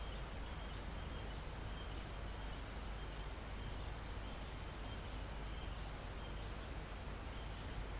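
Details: Live mountain-forest recording near the summit: crickets give short high trills, about six spaced bursts, above constant shrill insect noise and a low, continuous wind rustling through leaves and trees.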